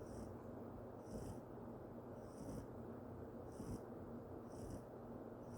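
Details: Yorkshire Terrier Sawol-i snores steadily, a hushed rumbling breath with a faint high whistle repeating roughly every second, no other sounds.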